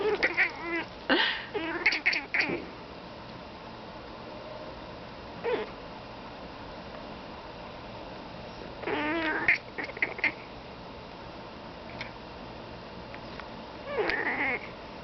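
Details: Pet cat Feliciano calling toward crows outside: bursts of quick, stuttering chirps and meow-like chatter around the start, a brief chirp near six seconds, then more bursts near nine and fourteen seconds, with quiet gaps between.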